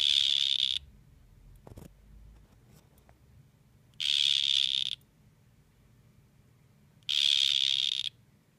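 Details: Two male dart frogs facing off, one giving three high, buzzy trilled calls of under a second each, spaced about three to four seconds apart, over a quiet indoor background with a faint low hum.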